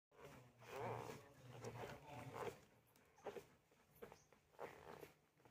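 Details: Labrador Retriever puppies offered in Varanasi, India, making soft wavering whines and short yelps indoors, several rising squeals around the first seconds followed by scattered brief cries against a low background hum.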